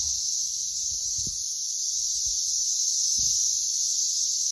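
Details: Loud Brood X periodical cicadas massed in and around a tree, producing a continuous shrill, hissing screech that never pauses, with soft low knocks and thumps beneath.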